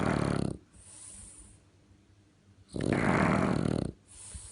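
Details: French Bulldog snoring like a tractor: a raspy snore ending, about two seconds of quiet hissing breath, then another loud, buzzing inhaled snore lasting roughly a second.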